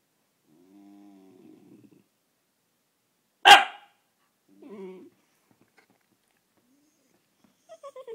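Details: Pet whippet being chatty and pestering an Italian greyhound indoors: a soft low grumbling whine, then one sharp loud bark, a short throaty grumble, and a few high whining yips at the end, with quiet gaps between.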